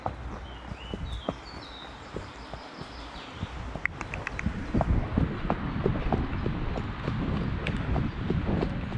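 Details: Shire horse Damon (De Goot Damon), Ostsee Shires, on a 2 May pick-up journey toward Falkendorf. Quiet start with a few high bird chirps, then clip-clopping hooves grow louder and quicker over a low rumbling background.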